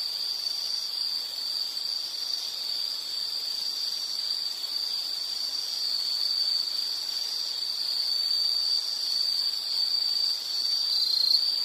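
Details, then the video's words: An insect gives a sustained high buzzing trill that stays level and unbroken, swelling slightly louder toward the end, with quieter higher-pitched trills layered faintly above. "Sound · Nature Sound of nature sounds scenery L · insect"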